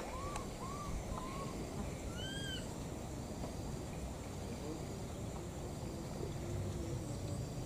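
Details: Pair of wild baby monkeys calling for their missing mother; a quick run of three or four arched, whistled cries early on, then quieter, over constant low-pitched background noise.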